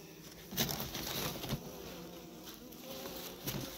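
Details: Honey bees during a February apiary visit, with several hives opened to check the state of their candy feed. A steady low droning hum runs throughout, broken by rustling and a few sharp knocks from handling.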